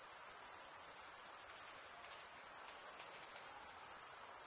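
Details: Stridulating crickets produce a dense, high shrill trill with a fast, slightly irregular pulsing of roughly three beats per second layered over a constant ringing tone.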